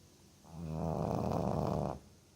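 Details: Boston Terrier named Botan sound asleep, snoring loudly: one long rasping inhaled snore of about one and a half seconds with a steady low buzzing drone, in a quiet indoor room.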